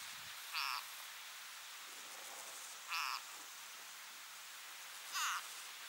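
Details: Frog struggling to break free from a grass snake trying to swallow it, giving three brief, tonal, harmonic cries spaced about two to two and a half seconds apart against constant broadband hiss.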